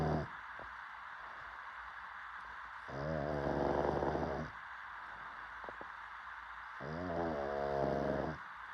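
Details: A sleeping pug snores in two long, throaty, rasping breaths about four seconds apart, each lasting over a second with rich layered harmonics. Quiet background hiss fills the gaps between them.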